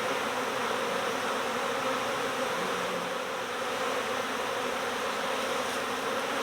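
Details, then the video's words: Swarm-season honeybees, a colony that swarmed next door, fill the air with an even, massed buzz. Layered low and mid tones hold steady with no pauses. "My Bees Swarmed! Next Door Honeybee Recovery"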